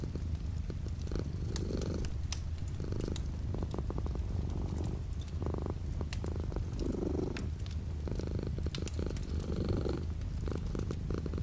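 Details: House cat purring beside a window with light rain falling outside, a deep unbroken rumble rising and easing with each breath, while patters and drips of rain tap irregularly throughout.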